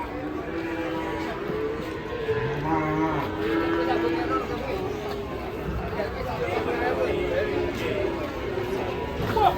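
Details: Unruly cattle going wild while being unloaded from a truck: a low, drawn-out moo with stacked harmonics rises out of steady crowd chatter and men's voices, with shuffling and handling noise throughout.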